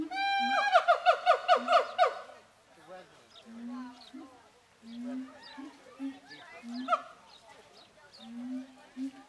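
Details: Captive siamangs at Zooworld calling: a burst of fast, loud barking notes at first, then softer low booms at a steady pace with quieter scattered calls between them.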